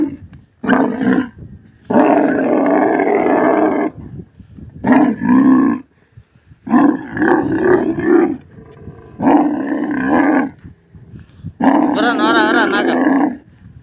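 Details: Desert camel giving six loud, throaty roaring bellows, each a rich harmonic groan lasting one to two seconds, separated by short quiet pauses, the last burst wavering and gurgling.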